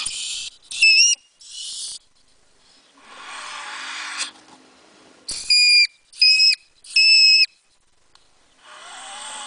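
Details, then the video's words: Mink giving shrill, whistle-like squeals: a few early bursts, then three sharp high tonal cries in quick succession, with hissy noise bursts between and a faint low whine at the end. "cri de vison"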